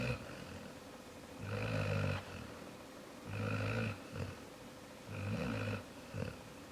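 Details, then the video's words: Jaxson the dog snoring: three long, low rasping snores at roughly two-second intervals, each a rough buzzing inhale with some higher hiss, with quiet pauses between them indoors. "Jaxson snoring"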